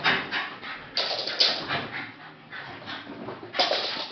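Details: Female Jack Russell Terrier watching the postman walk away, producing excited high whines and short yelps in bursts roughly every half second to second.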